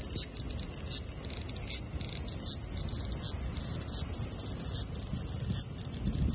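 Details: A large brown cicada (Graptopsaltria nigrofuscata) sings lively at 24°C (75°F), a steady, high sizzling buzz that swells slightly at regular intervals.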